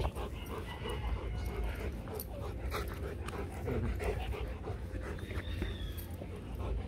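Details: Mating Rottweiler pair Loki and Siro; steady, quick, breathy panting runs throughout, pulsing evenly over a deep low-frequency hum, with faint faraway voices and a brief thin whine near the middle.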